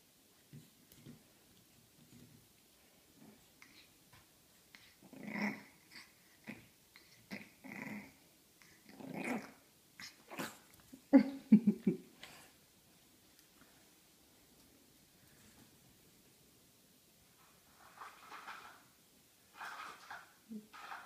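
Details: A Pug puppy growls in short, rough bursts. It starts quietly, builds to louder grumbling snarls around the middle, then fades to softer, breathy growls near the end, with quiet pauses between.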